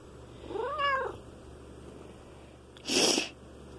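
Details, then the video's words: An 11-year-old black female house cat, usually shy, meows while being petted indoors: one short, arched, harmonic meow rising then falling, followed about two seconds later by a brief broad rustling burst. "black cat getting pets"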